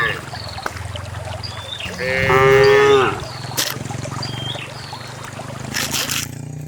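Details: Cows running together down a narrow rural path into a farm pen, one giving a single strong, rising-then-falling moo lasting about a second, over a steady low rumble with a few bird chirps and clattering knocks.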